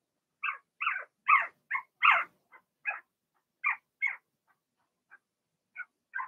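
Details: Young Cavalier King Charles Spaniel puppies, Blenheim coloured, born in March, penned indoors during potty training: a rapid irregular run of short yelping whines and squeaks, some louder and fuller, tapering into quieter isolated peeps.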